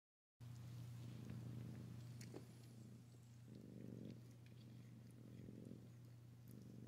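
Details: Poplar, a 17-day-old male kitten and runt of his litter, purrs softly in a low, continuous, pulsing rumble that swells and fades in waves, with a steady low hum underneath throughout.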